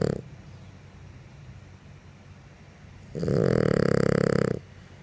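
A French bulldog snores with a loud, rattling, buzzy rasp after a quiet stretch of breathing.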